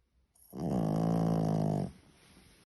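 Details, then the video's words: French Bulldog puppy Semyon, three months old, gives a single sustained snore lasting about a second and a half, a deep, buzzing, even drone that starts and stops abruptly in a quiet room. "Как храпит французский бульдог"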